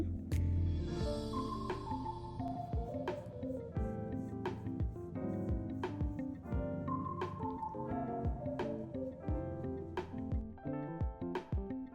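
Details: Plucky, bouncy background music with vibraphone-like notes and percussive hits throughout; no animal sounds are heard.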